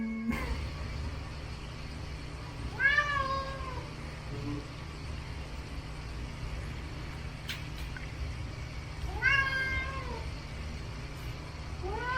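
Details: Domestic cat complaining, standing up against the fridge where dried sardines were once kept; two drawn-out, rising-then-falling meows about six seconds apart, with faint clicks and a woman's voice nearby.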